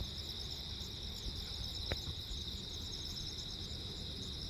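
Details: Cricket chorus on Jeju Island, South Korea, 15 August 2024, at night amid a lightning storm; continuous shrill pulsed trilling in stacked high bands, with one sharp click near the middle and low background rumble.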